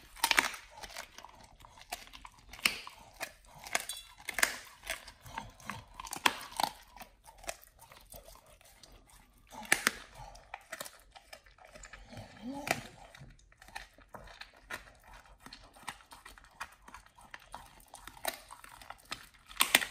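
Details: First raw whole Thai duck for Nomyen, a Pit Bull fed a raw diet: loud crunching bites in irregular clusters, some rapid and crackling, others single hard snaps, with a soft low grunt near twelve seconds.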